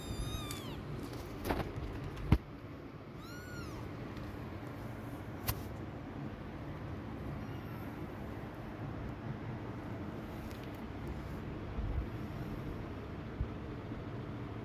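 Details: A mother cat walking away from her concealed kittens; a quick meow at the very start and another arched meow a few seconds later, with sharp knocks and clicks scattered over a low, constant hum.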